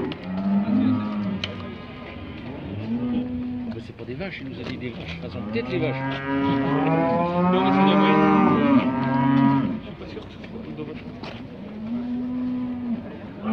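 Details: Heifers about 18 months old at a judged show section in Montluçon, 2020, several lowing together: deep, drawn-out moos overlap and rise and fall, with a long louder bellowing stretch in the middle and a hum of indoor crowd noise.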